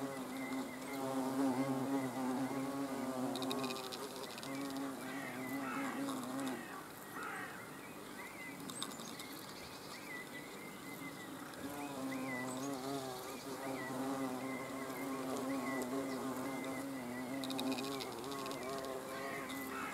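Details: Hornets watched at close range on 30 June 2020. Overlapping low buzzing hums rise and fall as individuals come and go, easing briefly midway. Quiet bird twitters are heard in the background.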